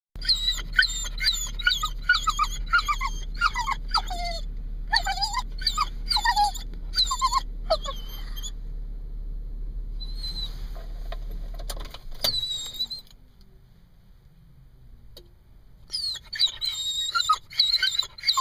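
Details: Summer, a Jack Russell Terrier and Corgi cross, whines and yelps anxiously inside a car after being left, high squealing cries in rapid bursts, a quieter stretch midway, then more urgent whimpering; steady engine-like hum underneath.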